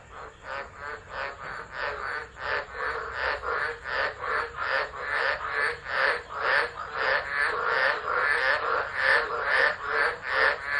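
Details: Frog chorus recorded by an unattended phone at Driver, Northern Territory, Australia, during a Tropical Low, December 2013; fast grating croaks repeated about 143 times a minute, intensity climbing and pulsing throughout.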